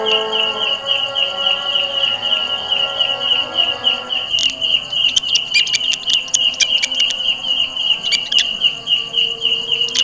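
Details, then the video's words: A grasshopper, a kind said to favour jackfruit trees, gives a very loud, shrill, steady, high-pitched buzz, pulsing rapidly and continuously. "suara belalang kecek"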